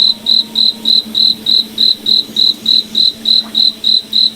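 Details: Cricket in a forest at night, sharp high chirps pulsing regularly several times a second above a faint low continuous hum.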